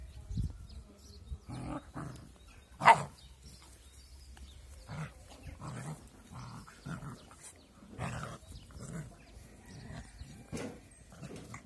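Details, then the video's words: Two puppies playing together roughly, sounding angry: scattered short growls and yips with a sharp bark near the third second, separated by quiet rustling and low background rumble. "Two cute but angry puppies are playing together"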